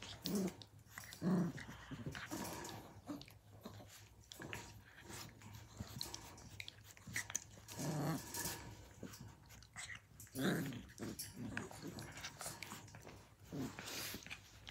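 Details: Blue heeler puppies at Tin Roof ACDs, Australian Cattle Dogs filmed in 2020, tussling in play: low rough growls and scuffling, biting noises come at scattered moments over a faint indoor background hum.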